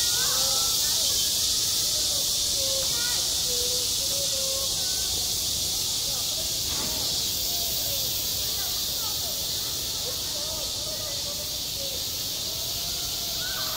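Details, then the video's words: Summer cicada chorus over a school playground, a steady, shimmering high buzz that never pauses. Faint wavering tones, possibly distant voices, come and go beneath it, with a brief swell near the middle. "한 여름 운동장에서 매미가 울고 있다 - 여름의 소리, 학교 종소리, 매미 울음소리"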